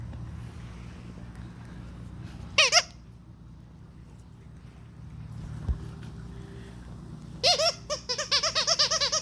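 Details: Day-45 Vizsla puppies from one litter give high, repeated squeaks in short bursts over a low hum.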